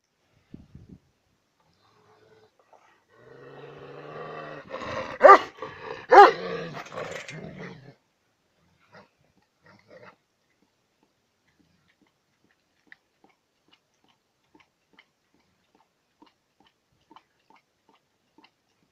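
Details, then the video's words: Chained dog growling while being fed, a low rumbling growl lasting a few seconds that rises into two louder snarling bursts, then silence with faint clicks. "Собака на цепи рычит, когда кормлю"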